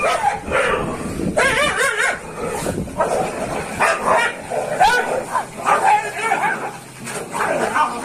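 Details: Fighting dogs trade harsh barks and snarls in dense, overlapping bursts, with a few yelping rises and continuous scuffling noise throughout.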